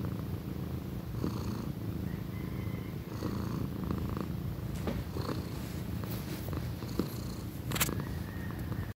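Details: Pequeña, a pet female cat nearly one year old, purring loudly: a steady low rumbling purr throughout, with faint short clicks and rustles over it.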